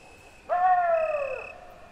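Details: Wolf giving a single short howl: a clear tonal note that swells in suddenly, then slides slowly downward for about a second before fading, with a faint steady high tone in the background.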